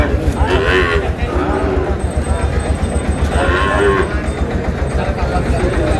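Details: Sahiwal bull calves at a Noakhali cattle market in Bangladesh, dated 27/7/26: two separate moaning moos a few seconds apart, each rising then falling, against continuous low rumble and men bargaining nearby.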